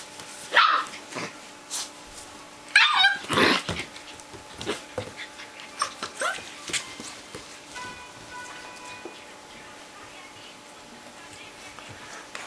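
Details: Old English Sheepdog puppies, 35 days old, indoors: a few high yips and whimpers near the start and at about three seconds, then softer scattered squeaks over faint rustling and room hum.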